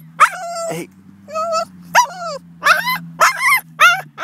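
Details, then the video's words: Boston Terrier, worked up near another dog, gives repeated high squealing whines in short bursts, each bending up and down in pitch, over a low constant hum. "Most Annoying Sound #BostonTerrier"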